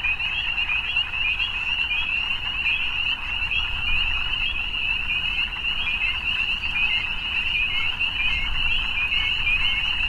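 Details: Frogs in the evening form an unbroken wall of high trilling calls, many voices overlapping into a constant shimmer, with a soft low background hum throughout.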